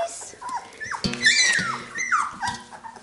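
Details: Nine Labrador Retriever puppies from one litter, smacking while feeding: high, sliding squeaks and whimpering whines over soft, wet smacking clicks.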